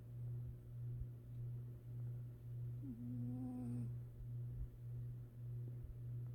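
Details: A napping cat's soft snore: a deep hum that swells with every breath in an even cycle, plus one level, slightly buzzy whine lasting about a second midway.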